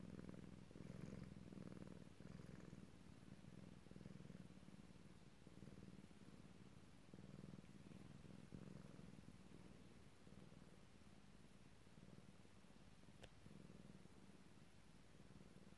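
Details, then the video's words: Tomcat purring himself to sleep, known for purring hard; a low, pulsing rumble that carries on without a break, gradually softening slightly toward the end, with one brief faint tick. "Kater Sjoerd spint langzaam in slaap"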